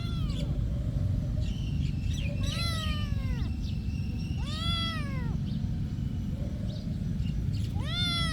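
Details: At a monastery, a cat lets out four drawn meows with rich overtones, a thin high tone sometimes running beneath, all over continuous low background noise.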